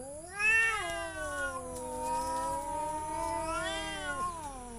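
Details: Domestic cat uttering one long, wavering meow lasting about four seconds, rising sharply at the start, holding steady, then swelling and falling at the end, with a faint steady high whine behind it.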